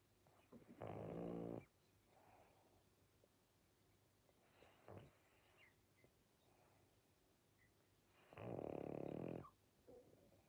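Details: Sleepy Pangpang the pug snores heavily: three loud, harsh, rattling breaths about a second long, spaced several seconds apart, with fainter wheezy snuffles in between.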